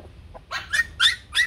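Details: Bac Ha dog, a shaggy Vietnamese native breed kept for breeding and conservation at a kennel in Vietnam: four short, high yapping barks in quick succession, each with a bright, slightly rising tone, after a faint opening yelp.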